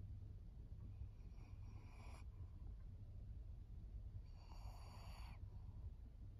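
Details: Maria, a 14-year-old fawn female senior pug in Japan, recorded August 2024: two rasping, snore-like snorting breaths, each about a second long, separated by a quiet pause over a low steady background hum.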